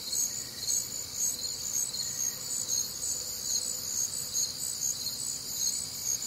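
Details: Crickets on a warm, humid Midwestern summer night, a dense chorus of high pulsed chirps repeating about twice a second, layered bands of shrill trilling with other faint nocturnal sounds beneath.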